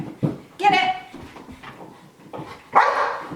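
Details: Anxious FOMO barking from Sky, a dog left out while Gem does games and tricks indoors: two sharp, tonal barks about two seconds apart, mixed with a trainer's calls and praise.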